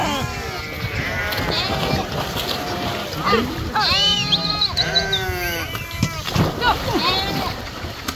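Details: Flock of sheep swimming in the Krishna river, several animals giving quavering bleats in quick succession, the loudest cluster midway, set against steady splashing water.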